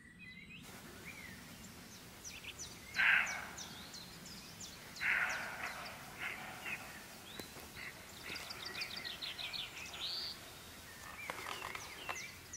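A roe deer gives short, harsh, hoarse barks, spaced a couple of seconds apart, with birds singing around it.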